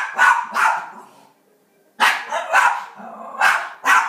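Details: Pet rat terrier named Sam barking at elk hunting on television indoors: two harsh barks, a silent gap of about a second, then four more evenly spaced barks.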